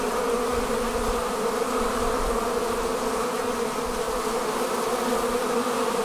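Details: Continuous humming of honey bees departing their hive in a swarm. The loud, level drone of many wings has stacked low tones and keeps the same intensity throughout.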